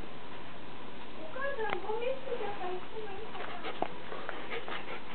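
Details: Nine-year-old female pet Shiba Inu, a small Japanese Shiba, vocalizing to welcome her owner home: faint, wavering whiny yodels sliding up and down in pitch, several short bends in a row, over steady indoor background hiss.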